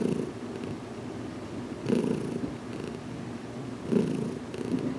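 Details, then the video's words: Heidi, a cat still learning to accept massage, purrs as her head is gently worked on indoors in a closet; low continuous rumble swelling in stronger pulses about every two seconds. "Heidi's First Massage Video"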